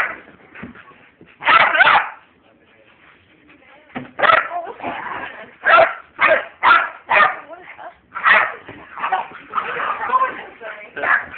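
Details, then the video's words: A puppy and a husky, Zoey and Danger, at play: sharp yips and short barks come in loud bursts, often several in quick succession, separated by pauses with low human voices in the background. "Puppy vs husky (zoey vs danger) vol 2"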